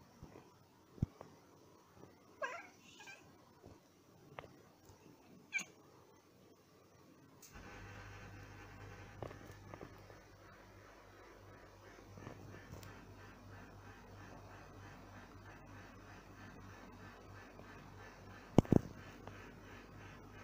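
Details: House cats at a window, worked up by a bird outside, let out several brief rising chirps and chattering notes over the first seven seconds; afterwards a steady low hum fills the room, broken by one sharp click near the end.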